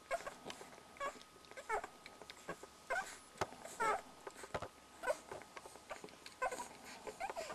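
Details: Soft, quick squeals and thin whimpers from one-week-old Border Collie puppies feeding, repeated unevenly, with some light rustling between calls.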